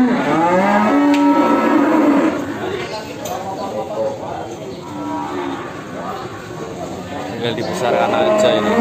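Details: Simmental cattle offered for sale: a short low moo near the start, then quieter mooing and murmuring voices with a noisy background, plus a brief higher call near the end.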